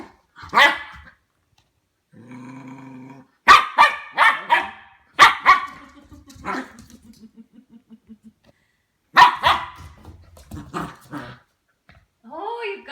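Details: Ten-week-old Goldendoodle puppy barking at a new plastic toy ball, warming up to it: several sharp barks in two bursts with a run of soft whimpers between, owner speaking reassuringly in the background.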